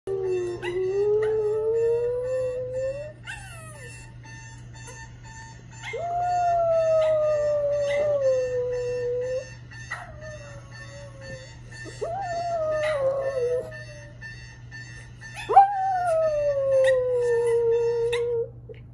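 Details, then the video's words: Pet dog howling at a ringing alarm clock: long wavering howls that rise then slowly fall, about five drawn-out notes separated by short pauses, over a steady electronic alarm tone and buzzing hum. "howling at the alarm clock"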